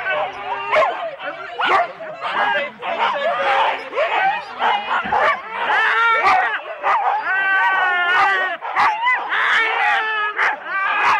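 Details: Husky sled teams of four dogs wait at the start, Rendlesham, January 2016, on analogue cassette. A crowded, continuous din of high yodelling whines, yelps and scattered barks runs throughout with no pause.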